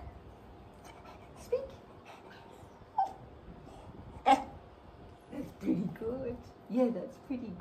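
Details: A cocker spaniel trained to "speak" gives short yips and whiny, talking-like barks on the spoken command while a person urges it on, with rewards given straight after.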